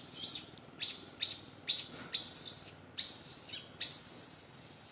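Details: Little monkey Santo, an infant, cries loudly from a branch as his mother Sara fails to tend him; short, shrill, breathy bursts repeat roughly twice a second in an uneven run.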